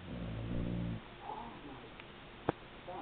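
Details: Kira, a female pet Beagle, snoring while she sleeps: one low, buzzy, rumbling snore lasting about a second, followed by near quiet and a single faint click.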